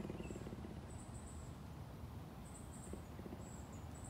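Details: A captive cougar at a big cat sanctuary in Tampa, Florida purrs in a deep, continuous rumble with a steady throbbing pulse; cougars are the largest cats that can purr.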